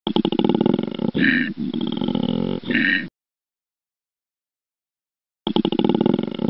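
A koala gives a deep, rasping bellow of rapid snoring pulses broken by harsher, belching bursts.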